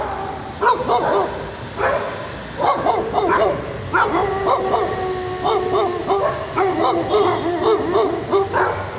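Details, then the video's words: A dog barking persistently in a rapid, high, yappy series of sharp barks with short gaps, some bursts coming in quick runs, the barks steady in pitch throughout. "Annoying dog sound!"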